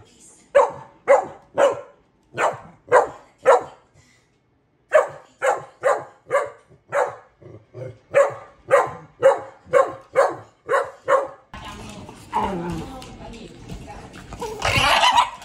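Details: Pet dog giving long series of loud, clipped barks roughly every half second, one short silent gap midway, then the barking stops and rustling, handling noise follows.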